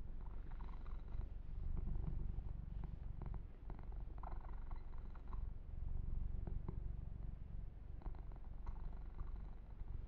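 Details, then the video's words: Yumak, a pet kitten, purrs while being massaged and groomed; the deep continuous rumble swells and eases over several seconds, with scattered crackly rubbing and fur-stroking sounds on top. "Kitten Massage - Perfect Sleep Helper Ear to Ear Purring"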